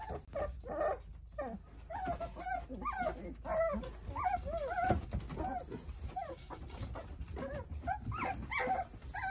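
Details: A busy chorus of whimpering from nine Jindo puppies at play while mother Sarang looks after them: rapid, overlapping, arched squeals and yips repeat almost continuously, with rustling and scuffling beneath.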